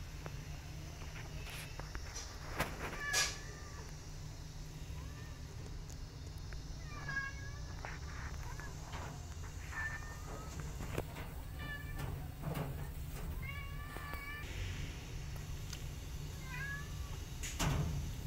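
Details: Cat family: a mother cat that has adopted rescue kittens, including one named Sugar. Thin, high, upward-bent mews are repeated irregularly every second or two over a steady low hum, with a few clicks and knocks.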